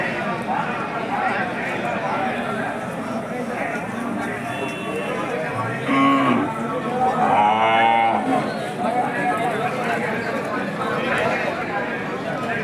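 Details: Hallikar cattle at the KG temple cattle market, India, on 24 November 2025: a short harmonic moo sounds midway through, surrounded by constant market crowd noise and men's voices.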